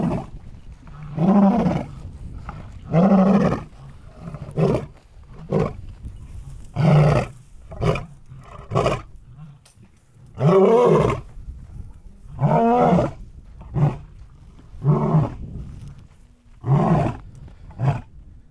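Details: Lions roaring, heard as a series of deep grunting bursts spaced one to two seconds apart, somewhat irregular, with quieter background noise between calls.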